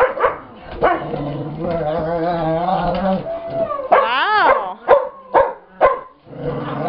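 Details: Pet dog growling during a play chase with another dog as more dogs join in; long wavering moans, a swooping yodel-like cry, then several short sharp barks spaced about half a second apart.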